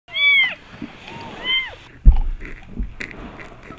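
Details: Kitten that keeps sucking a person's thumb gives two high, arching meows with clear harmonics, the first longer and falling at its end, the second shorter, followed by soft clicks and a sharp knock.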